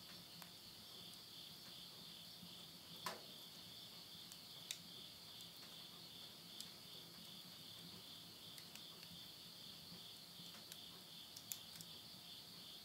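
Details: Midnight insect chorus at the end of summer, September 2020, in rural Tottori, Japan, heard from a house with a wood-burning stove: a constant high-pitched, even trilling drone, broken by occasional sharp snaps from the fire.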